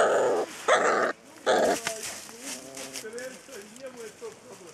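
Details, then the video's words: Ten Rhodesian Ridgeback puppies, the litter of the female Ridja, give three loud yelping bursts in the first two seconds, then a run of softer wavering whines that rise and fall, with some faint background noise. "Rhodesian Ridgeback puppies"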